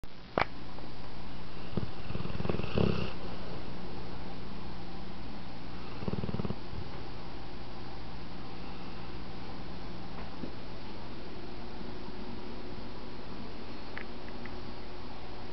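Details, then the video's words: American Bulldog asleep on a couch indoors, snoring: a steady low rumbling drone with louder snorting bursts near the third and sixth seconds, then a softer continuous hum. "Rascal snoring my American Bulldog"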